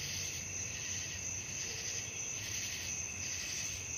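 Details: Night-time cricket chorus meant for falling asleep: continuous piercing high-pitched trilling layered over a lower steady buzz, swelling and fading softly about every second.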